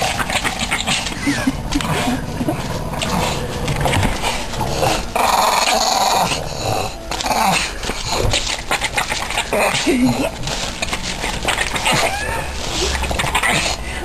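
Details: Una, the smaller of two Boston Terriers, growls and grumbles in play during a game of tug-of-war.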